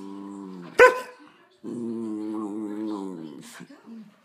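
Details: Smaller dog angered by another dog pestering it, snapping and biting: a sharp yelp-like bark, then a sustained wavering low growl for about two seconds, with a short snarl at the end.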